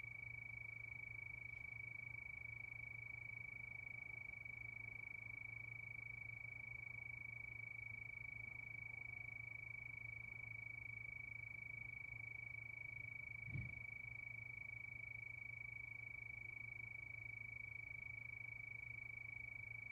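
Crickets chirp in a steady, high, ringing trill that runs unbroken through the night.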